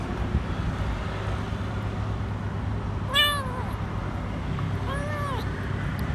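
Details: A lone, dirty, frightened kitten hiding under a food truck at a grocery store cries for food. Two arched, high meows come about two seconds apart over a steady low engine rumble.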